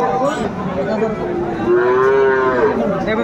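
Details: Friesian bull calf at a cattle market in Khulna, Bangladesh, 25 September 2024: a drawn-out, slightly rising moo with rich harmonics in the middle of the clip, over a steady murmur of crowd chatter.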